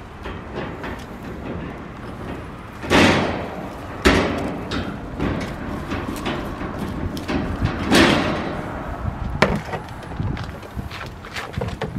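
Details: Hard wooden knocks and rattling thuds sound against a fence at irregular intervals.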